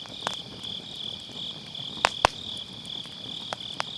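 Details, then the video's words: Grass insects calling on an autumn night near a campfire: an even, ringing high trill runs throughout as firewood pops sharply several times, two loud cracks close together midway; MKE600 microphone with low cut. "가을밤 풀벌레 소리"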